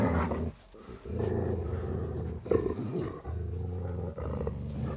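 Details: Dogs growling, captured with binaural 3D ambient recording: a continuous low, throaty rumble with rich harmonics, briefly dipping after half a second, then resuming in long snarling pulses with slight rises and falls in pitch.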